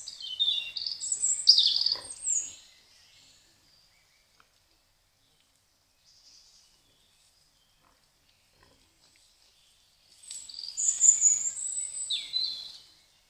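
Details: Wild boar piglets recorded by a trail camera give shrill, high-pitched squealing in a busy opening burst. A second squealing burst follows after about eight seconds of quiet.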